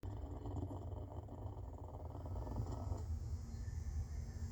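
A clouded leopard gives a deep, steady rumbling purr that sounds almost like snoring.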